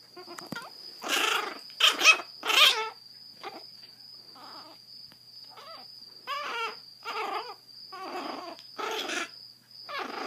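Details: Grumpy growls and whiny yelps come from Zada, a 7-week-old blind Chihuahua puppy with hydrocephalus, rescued in Fort Worth, Texas. Loud harsh bursts come first, then quieter quavering grumbles roughly every second, over a faint constant high hum.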